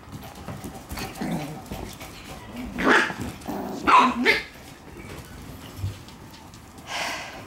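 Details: Shiba Inu puppy playing energetically indoors in a room: a few short, sharp yaps spaced about a second apart near the middle, then one more bark after a pause, with quiet room noise between them.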